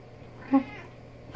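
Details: Pet female cat, described as very chatty, talking with her owner indoors: one short, low meow lasting under half a second, with a steady hum in the background and a soft knock at the end.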